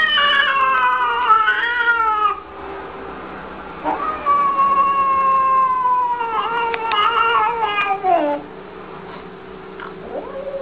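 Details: Domestic cat from a cute cat compilation giving a string of plaintive, cry-like yowls. There is a wavering wail, a pause, then a long falling moan and a shakier rising call, with a faint squeak at the end.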